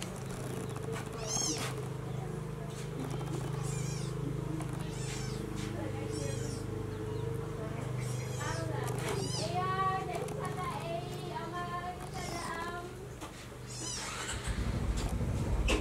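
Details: As mother cat Como carries her newborn kitten to the nest, high thin mews sound again and again, some rising and falling and some clipped short, over a steady low hum, with faint human voices in the background.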